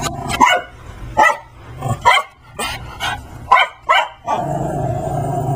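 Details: Max, a Brussels Griffon in a dinosaur Halloween outfit, harasses Layla the Persian cat indoors. Six sharp, bright barks, several coming in quick pairs, then the barking stops and a low hum remains.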